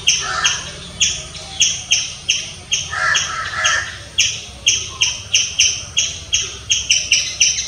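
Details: Loud squirrel chirps, each note short, bright and high, coming at roughly one to two per second, with throaty, grating notes around the middle before the chirps speed up again.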